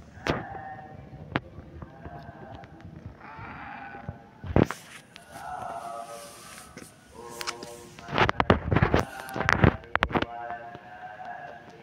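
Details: Kitten with a pampered, whiny voice, 16 August 2024: several drawn-out harmonic meows in short bursts, broken by sharp clicks and knocks, with a loud flurry of handling noise near the end.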